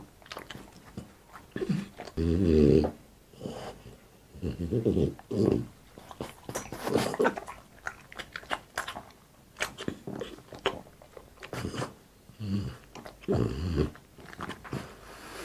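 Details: Boss the French Bulldog eating indoors: irregular bouts of loud low gnawing and grunting chews between quieter wet clicks and snaps, spread over fifteen seconds of steady munching.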